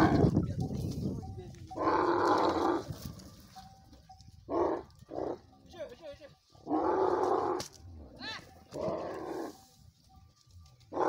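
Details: Camel in a desert setting attacking another camel, giving loud, harsh, broadband roaring bursts of about a second each, repeated several times, with quieter rumbling and human voices between them.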